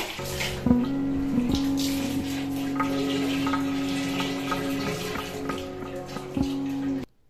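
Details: Water pours and splashes in a small indoor room during a cat's bath, over a steady low mechanical hum with a few sharp knocks.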